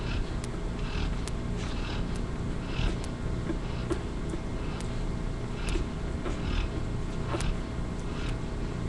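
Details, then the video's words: Yellow Lab mother Kylie asleep and snoring while two of her babies nurse, Buddy also sleeping in the background on a live camera; regular raspy breaths roughly each second, light clicking and a continuous low drone. "Kylie snoring while two yellow lab babies nurse."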